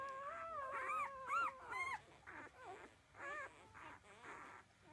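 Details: Thirteen-day-old puppies feeding at their mother's breast give wavering, whining cries that slide down in pitch, followed by softer squeaky whimpers in quick succession, several overlapping as the litter drinks milk.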